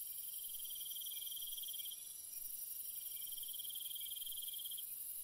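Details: Nighttime cricket sounds in a peaceful setting, two long rapid pulsed trills separated by a brief pause, backed by an unbroken high-pitched insect drone.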